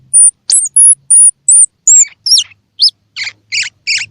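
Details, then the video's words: Baby squirrel sounds meant to encourage feeding in young squirrels whose eyes may not yet be open: five piercing, very high whistled notes, then quick falling squeaks, closing with three coarse, buzzy chirps over a faint low hum. "Tiếng Kêu Của Sóc Baby Kích Thích Sóc Ăn | Sound of Baby Squirrel"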